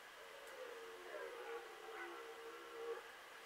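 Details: Red deer in the 2018 rut, still roaring in mid-October from a foggy, marshy meadow: one drawn-out, moaning, harmonic roar lasting about two and a half seconds, wavering slightly in pitch, over a steady outdoor background hiss.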